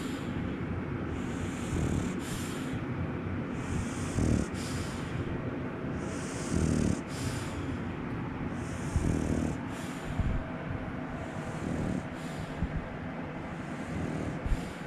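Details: French Bulldog named Ginjiro snorting and snoring: loud rasping, low snores with breathy hissing puffs roughly every two seconds, each breath ending in a sharper snort, steady and close, no other sounds.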